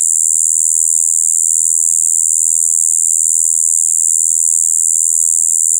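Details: Spring recording of a Shibuiro kayakiri katydid, 2 April 2023: an unbroken, droning "bii" buzz, slightly muddy in tone, held at constant loudness the whole time over a faint low background hum.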